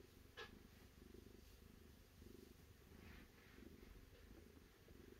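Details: Quiet, continuous purr from a cat, a low pulsing rumble rising and falling with each breath, with a brief sharp tick near the start.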